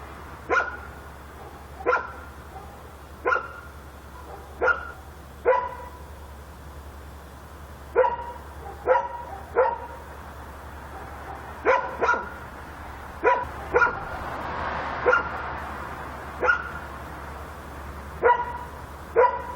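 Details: Dog barking at night in Korea, a recording of everyday neighbourhood sounds: sharp single barks repeated irregularly every one to two seconds, some in quick pairs, over a steady low hum and a brief broad noise swell midway.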